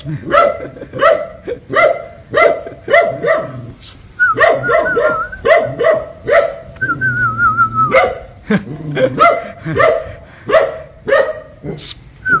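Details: ['Dog barking on seeing a stranger: sharp, harmonic barks in quick bursts of two to four, with short pauses between. A wavering whistle twice cuts through the middle.']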